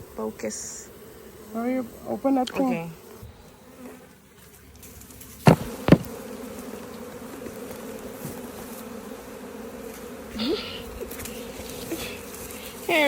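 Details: A caught swarm of bees drones with a continuous low hum, broken by several louder buzzing passes near the start, two sharp knocks in the middle and another close buzz toward the end.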